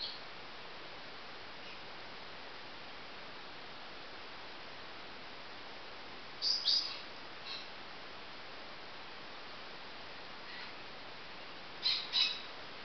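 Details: Baby marmosets give brief, high-pitched chirping calls: a short cluster at mid-clip, a fainter call soon after, and a paired burst near the end, all over steady hiss.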